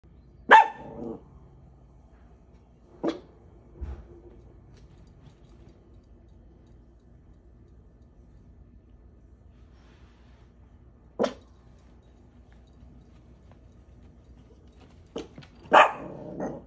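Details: A scruffy pet dog barking out of a window: a few short, sharp single barks at irregular gaps of several seconds, with near silence in between.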